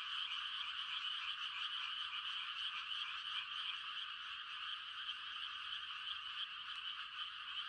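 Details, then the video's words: Frogs calling on a quiet country night in rice-planting season, a dense mating chorus of rapid, overlapping high trills that pulse without a break. No other sounds. "The sound of frogs on a quiet country night"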